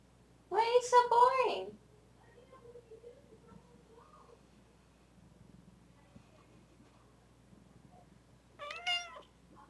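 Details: Pet female domestic cat indoors gives a loud, drawn-out meow with a wavering pitch near the start. After a quiet stretch, a shorter, higher meow follows about seven seconds later. A woman's voice is faint in the background.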